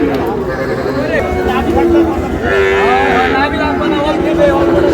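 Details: Sahiwal calf at a cattle market in Chittagong, Bangladesh: a drawn-out low moo with a steady tone, over busy crowd chatter and men talking nearby.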